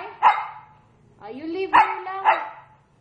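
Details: Pet dog at home, apparently Nina, barks three times in sharp bursts with a rising whine between them as she is told to stay while her owner leaves; otherwise quiet indoor background.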